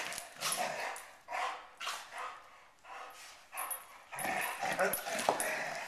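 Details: Poodles fighting: sharp, harsh barks and yaps come in uneven bursts about twice a second, growing denser and more frantic toward the end, mixed with people talking.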